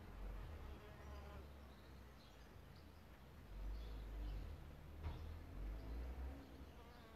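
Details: Solitary bees nesting in a bug hotel; a low droning buzz rises and falls across the clip, swelling louder mid-way and again near the end, with faint background noise and a few distant chirps.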